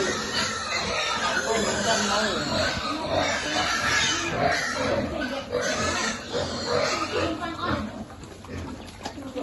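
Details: Piglets at feeding time on a pig farm, a dense, continuous chorus of harsh squeals and grunts overlapping without pause for about nine seconds, with human voices mixed in.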